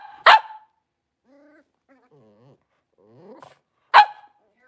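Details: A blenheim Cavalier King Charles Spaniel puppy, one of a litter of five in their new big pen, gives two sharp, loud barks about four seconds apart. Soft, faint whimpers are heard in between.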